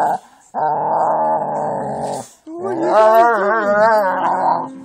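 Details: A steady play growl from dogs at play, a Jack Russell with pit bulls, followed by a wavering, rising and falling whiny growl that grows louder.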